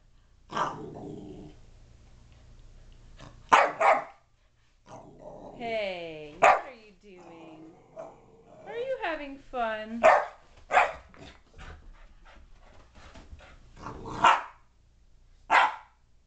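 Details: Dallas, a playful 5-month-old boxer puppy, barks indoors in short, sharp bursts spread through the clip, roughly every two to four seconds, while a person talks excitedly in between.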